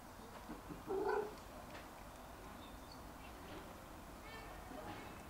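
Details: In a garden, a younger Jack Russell Terrier trying every trick to get a bone held by his older brother gives a single short, high, nasal whine against a quiet background.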